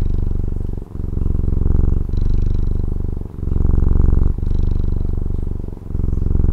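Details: Domestic cat from Taiwan purring close up, a deep rumbling buzz of rapid pulses that swells and fades with each breath, pausing briefly about every one to one and a half seconds; no other sounds.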